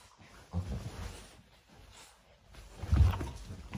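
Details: Cane Corso puppies sparring in their morning routine: two deep, rough growls, one early and a louder one near the end, with quieter rumbling between.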